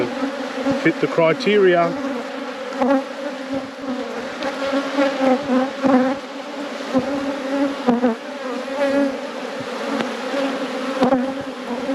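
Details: Steady buzzing drone from honey bees in a productive apiary hive under inspection, an unbroken two-toned hum with slight swells in loudness, joined early on by a short burst of human voice.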